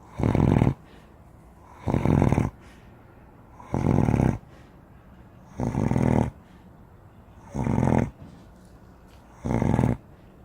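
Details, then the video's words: Sleeping Spanish Mastiff, a giant dog, snoring steadily: six harsh, buzzing low snores spaced about every two seconds, each short and evenly loud, separated by near silence. "Вы знаете как храпит гигантская собака"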